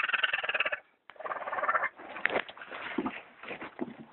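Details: Orphaned baby raccoons, a litter of three abandoned by their mother beneath a bathtub in California, crying; rapid pulsed chattering trills run almost continuously, coarse and harsh, with a brief pause near the start and handling noises.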